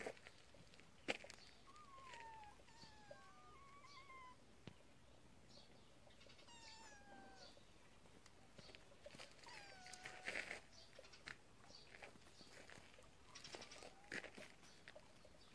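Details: Kitten from a family of cats living in a warehouse, playing with a mole; several high, thin meows that slide downward, scattered through the clip, with faint clicks and rustling around them.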